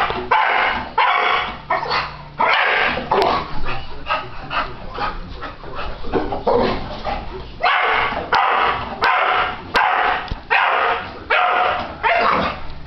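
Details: Four-year-old English Bulldog reacting indoors as the ceiling fan is switched on: loud, harsh, gravelly barks and grumbling woofs in rapid, uneven bursts that fill the room almost continuously.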